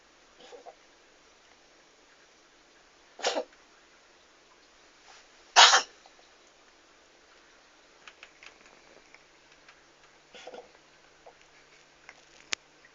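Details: Domestic cat sneezing: two sharp broadband bursts a couple of seconds apart, the second louder, with fainter snuffles and small noises between them in a quiet room.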